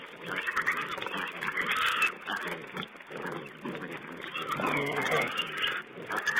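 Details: Wild pigs caught by a feeding-site camera on 20 April 2010 keep up a rough, muffled babble of grunts and squeals. Bursts swell and fade, with a louder run of squealing near the middle and again at the end.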